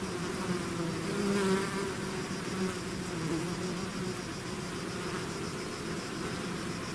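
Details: Swarming bees leaving their hive produce a rich continuous hum, a close bee swelling louder for a moment early on, then the drone settles into even, overlapping buzzing tones with nothing else audible.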